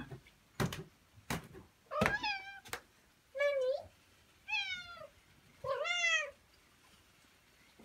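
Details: Pet cat named Mero indoors, meowing to ask to be played with. Two thumps, then four drawn-out meows, each about half a second long and rich in harmonics, come roughly one per second. A woman speaks before and after.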